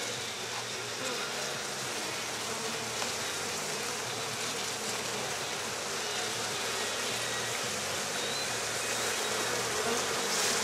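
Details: Honey bees being put into a hive late at night in Rosharon: a dense, steady buzzing roar that fills the whole clip without pause, with a faint low hum underneath.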